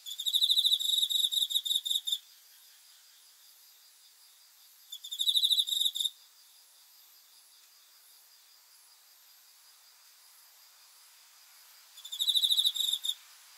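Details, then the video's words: A cricket calling at night in a sleep-aid recording: a two-second burst of rapid high trilling pulses, then a shorter burst, and a third after a long silence of about six seconds. "귀뚜라미 소리 풀벌레 울음소리 수면 도움 자연의 소리 야간 곤충 우는 소리 잠오는 소리"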